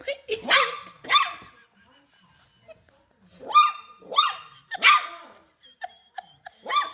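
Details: Dachshund, a playful wiener dog, barking in a string of sharp, harmonic yaps: a quick pair near the start, then a burst of four after a short pause and a final bark, with faint talking in the background.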